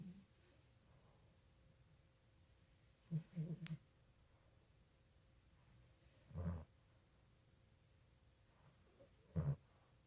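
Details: Sleeping Boston Terrier puppy, eyes open, snoring: three deep, snorting snores with rough bursts of breath, about three seconds apart, between stretches of near silence.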